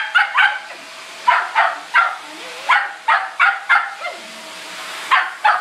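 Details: Shetland Sheepdog named Dakota barking at a vacuum cleaner it hates: sharp, high yappy barks fired in quick bursts of two or three, about a dozen in all, with a low mechanical hum underneath.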